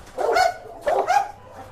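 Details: During Musso's furious reaction to a pitbull, a dog gives two strong, harsh barks close together, followed by quiet.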